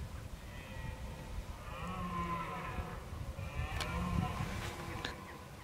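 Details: Red deer in October, bellowing as part of preparing for the rut: two long, groaning harmonic calls with a deep underlying tone, accompanied by a few sharp knocks and background rumble.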